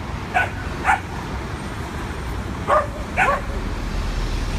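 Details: Two adopted dogs on their first visit to a NYC dog park, playing; four short barks in two pairs, about two seconds apart, against low city traffic hum.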